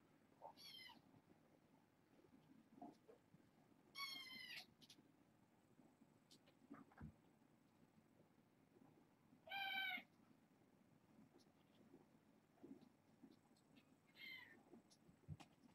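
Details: Kittens born August 29th, fostered and snuggling at bedtime: four short high-pitched mews spaced several seconds apart, with faint rustling and a soft background hum.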